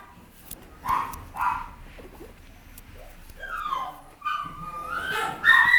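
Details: Papillon puppy, female, making two short yips followed by rising, drawn-out whining squeals that climb higher toward the end.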